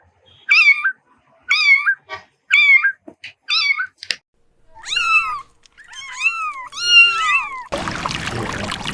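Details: Cat repeating four quick, high meows, then longer, drawn-out wavering mews that slide downward, ending abruptly in a burst of rushing broadband noise.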